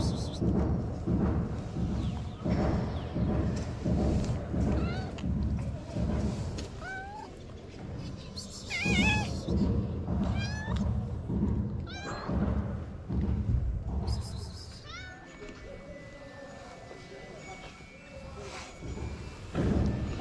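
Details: Stray calico cat in Morocco, jealous and keeping another cat away from the person feeding it; several short rising-falling meows around the middle, partly masked by a steady low rumble and background noise.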